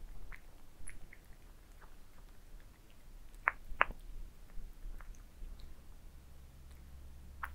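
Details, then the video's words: Domestic cats eat towers of minced meat, recorded close up for ASMR: soft, irregular wet chewing and smacking, several sharp clicks of teeth or tongue, and a steady low hum underneath. "Cats eating minced meat towers asmr"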